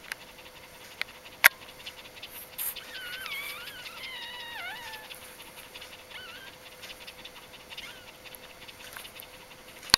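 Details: Puppies of the dog Aris's G litter, recorded between birth and day four, 1–4 October 2012: a cluster of thin, quavering whines mid-clip that rise and fall, over a constant low electrical hum and occasional sharp taps.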